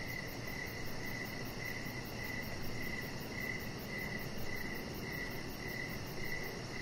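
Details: Evening crickets heard from a deck where a chihuahua puppy rests; bright, high chirps come in an even rhythm, roughly every two-thirds of a second, above a steady background hiss.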